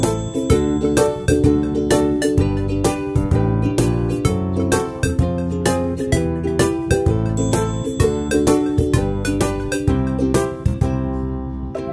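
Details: Bright, bouncy keyboard music with chiming, plucked notes in a steady beat fills the whole stretch, with no animal sounds.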